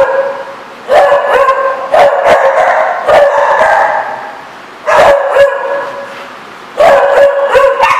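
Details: Dog at The Barking Lot on 4/10/14 barking in sharp, ringing volleys, a run of rapid barks followed by two later bursts, with near silence between them.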